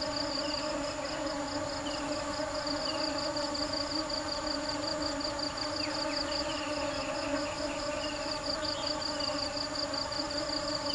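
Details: Bees busily foraging for nectar, a steady low droning hum layered in even tones, with a rhythmic high pulsing insect call throughout and a few brief bird chirps.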